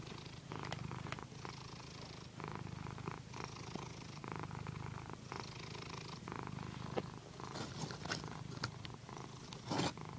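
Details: Pandy, a female pet cat described as a loud purrer, purring while massaged on a satin pillow: a steady low rumble swelling and easing with each breath, under soft swishing rubs of fabric and a few light taps.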